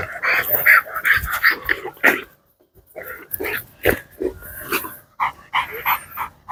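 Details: Dogs barking in quick, sharp bursts, several overlapping yaps in a dense run for two seconds, a brief silence, then further irregular barks continuing to the end.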